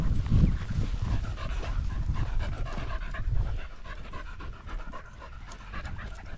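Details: Border Terrier panting during a sunny 16°C walk on 13 September 2022, in a pack of six small dogs that includes three Border Terriers, Alfie, Juno and Otis. Fast, breathy, rhythmic puffs come about three or four times a second over a low rumble of wind.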